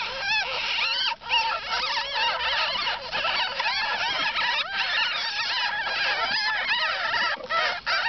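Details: Ten newborn ferret kits, a single pet litter beside their mother, keep up a steady chorus of thin, wavering squeals and chirps, many voices overlapping with barely a pause.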